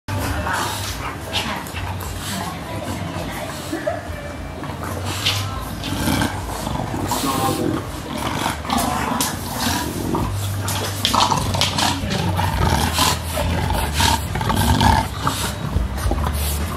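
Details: Two English Bulldogs, WanWan (3 years 18 days old) and Fe (2 years 299 days old), playing together on 10 July 2017, with Fe wanting to join in; rough, irregular growls and snorts over a steady low hum and dense broadband noise.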